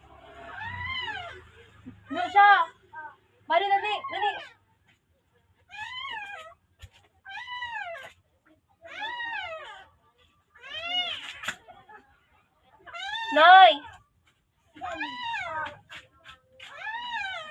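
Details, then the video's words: Rescued newborn puppy in the Philippines crying for help: a steady run of short, arched, piercing squeals, each rising then dropping, repeated about once a second, with a few louder sharper ones and quiet pauses between. "Calling for help🥺 thanks puppy is ok"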